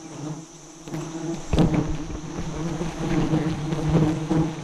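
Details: Giant honey bees at a nest being harvested by a bee-hunting team, the nest high up at about 40 metres and holding around 100 kg of honey; a steady low droning hum with layered tones, and a sharp knock partway through.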